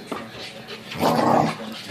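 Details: A French Bulldog gives a short, rough grumbling vocal burst while rough-housing in play with another dog in a living room, with faint human voices nearby.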